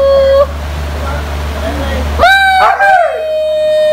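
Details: A female Siberian Husky calls her owner to take her out, with drawn-out, wavering howl-like notes that rise and bend.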